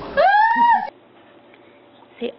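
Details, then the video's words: Pet dog indoors at home, prompted by its owner to say "I love you": one clear rising, tonal whine lasting under a second, then near-silence with a faint later sound. "Talking Dogs"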